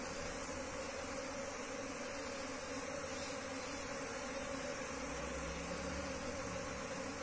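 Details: Continuous low droning of a wild bee colony during its move into a cultivation box, steady and even, with a faint deeper hum joining late in the recording.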